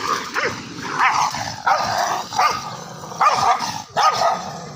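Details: Fighting Indian pariah dogs, angry: loud harsh barks about once a second, irregular, with rough growling between them.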